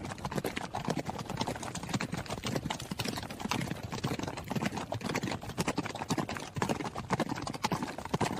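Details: Quick, irregular thudding of a running horse's hooves, a busy clatter of overlapping strikes with occasional louder knocks and no gaps.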